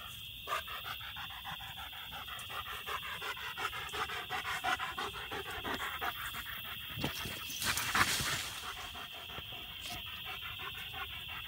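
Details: German Shepherd named Odin panting while treeing two raccoons in a peach tree; quick rhythmic breaths about three per second, a steady high insect drone throughout, a short louder burst near eight seconds.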